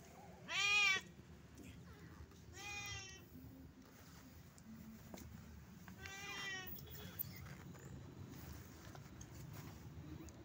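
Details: Shy cats meowing: three drawn-out, nasal, harmonic-rich meows, the first loudest and short, the next two softer and spaced about three seconds apart, with a quiet, slightly hissy room background.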